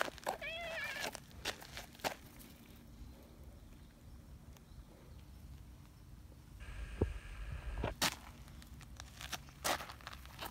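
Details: Nyahhaa, a brown tabby community cat, fawning intensely for affection and attention: one short, clear, drawn-out meow that bends up then down near the start, followed by rustling, crinkling and footstep-like handling noises.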